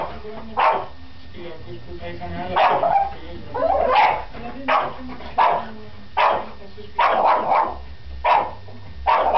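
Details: French Bulldog giving spaced, sharp barks, some doubled, with short gaps between bursts and faint low rumbling in the background.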